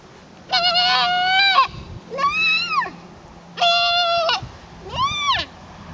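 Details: Goat trying to fit in with the herd: four loud, wavering, harmonic bleats, each about half a second to a second long, separated by short pauses, with faint low background hum.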